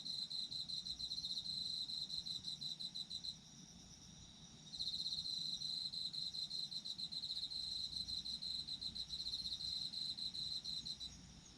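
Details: Autumn insects chirping in a dense chorus. A high, bright pulsed trill runs steadily, drops out briefly near the middle, then returns, with fainter overlapping callers and a soft hiss beneath.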